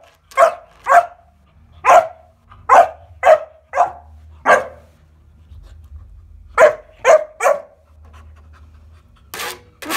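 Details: Kuvasz puppy named Bowie, 14 weeks old, playing with a weighing scale at home, gives short sharp barks in bursts, about two per second, with a pause midway and a low hum underneath.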